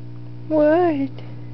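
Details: Doberman Pinscher Alyuss, two years old and 125 pounds, whining while bothered by Nerria, an almost four-month-old puppy, indoors: one short tonal whine that rises and then slides down, over a constant low hum.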